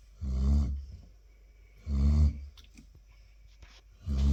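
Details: Loud snoring from Chilly the Labrador Retriever: three heavy, resonant, rasping snores about two seconds apart in a quiet room.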